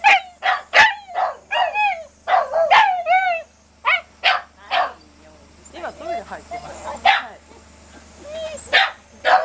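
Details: Shiba Inu yelping in quick strings of shrill, wavering cries, briefly quieter mid-way as a person talks, then resuming with sharp yelps and one drawn-out whine.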